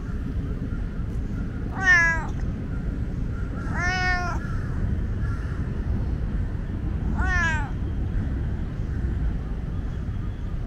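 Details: Loud, talkative tomcat at Lumpini Park meowing three times over about six seconds, each call a strained, rising-then-falling wail rich in harmonics, with constant low urban traffic hum behind.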